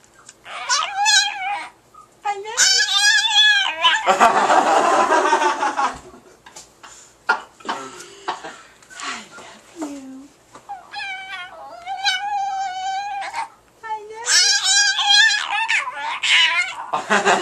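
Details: Indoors, Paco the Chihuahua repeats his "I love you" imitation: several quavering, high, harmonic whines in short phrases, a harsh noisy burst near the start, then more wavering whines amid human talk and laughter.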